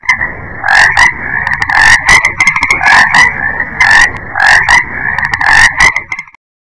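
A frog croaks over and over in harsh, buzzy pulses with a nasal, reedy tone. The croaks come in quick clusters nearly every second, with little else in the background.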